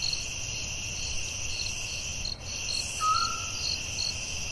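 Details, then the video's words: Night forest crickets ring steadily in a high trill with softer pulsed chirps; a short clear whistle from another creature cuts in midway, over low background noise. "Soothing Cricket🦗 Sounds at Night"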